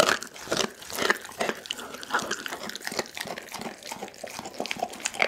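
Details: Doggy, a pit bull, eating a whole raw chicken, recorded on an Insta360 ONE R camera: dense crunching and bone-cracking bites in quick irregular bursts, with wet snaps between them.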